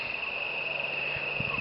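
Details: Crickets and katydids keep up a steady, unbroken high-pitched trill at night in November 2012, recorded during moon viewing through a telescope, with faint low thumps underneath.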